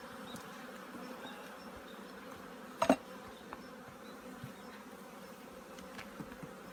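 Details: Many honey bees in a kept apiary during winter preparation, giving an even, droning buzz throughout, broken by a brief knocking sound and a few faint ticks.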